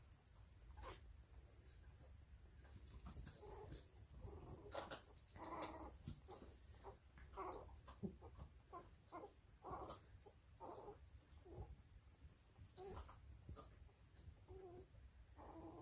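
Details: Winter, a toy Australian shepherd, trying to play with a cavalier puppy too young to play along: quiet, broken growls and whimpers in short bursts of a second or less, scattered with sharp clicks and thumps of movement.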